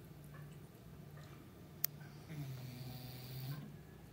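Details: English Bulldog asleep on a cushion and chair indoors, a low droning snore steady at first, then a deeper, wavering rumble across the second half, with one sharp click midway.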